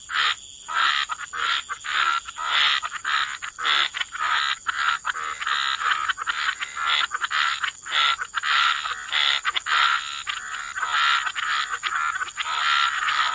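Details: Frogs croaking by the waterside in a wetland chorus, dense rapid pulses in the mid range, roughly a hundred croaks a minute, overlapping callers with a steady high hiss above.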